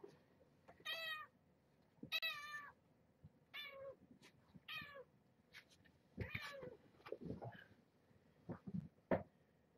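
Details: Repeated high, rising-then-falling meows, about six in ten seconds, from the litter of Marge, a former stray mother cat, at evening play time in a small room; faint rustling and handling noises between calls.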